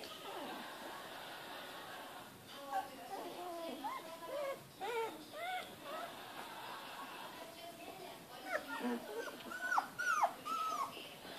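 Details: Australian Shepherd puppies Jonah and Bandit, 19 days old, born 12 December and recorded 31 December 2013, give thin arching whines and whimpers in short bursts, strongest near the end, while people talk quietly indoors.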